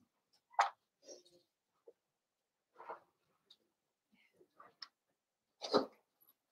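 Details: Blenheim Cavalier King Charles Spaniel puppies from a litter of five born over New Year's, kept indoors in a puppy pen; brief yips and soft yaps spaced irregularly, two louder sharp bursts standing out.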